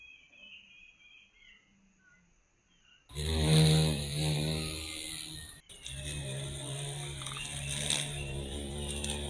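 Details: Violet carpenter bee, Mazovia, Poland, once declared extinct in the country in 2002. Faint bird calls give way to a sudden, loud, low-pitched humming buzz that continues steadily for the last six seconds.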